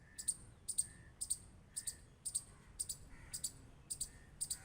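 A squirrel gives sharp, high clicks, often in quick pairs, about twice a second.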